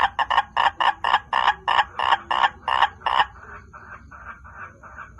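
A frog gives a fast series of harsh, pulsed croaks, about three each second.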